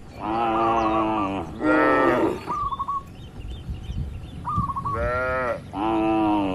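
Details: Cattle grazing in an oil palm plantation with a herder guiding the herd, calm rural setting; long harmonic moos in quick succession, four drawn-out calls with short gaps, plus faint chirping birds between them.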